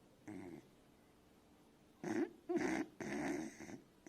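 A Beagle puppy snores in rough, rasping bursts separated by short pauses.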